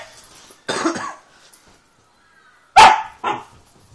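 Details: Doberman pinschers playing together: three short, harsh barks, one single and then a close pair near the end, separated by quiet gaps, with faint background voices.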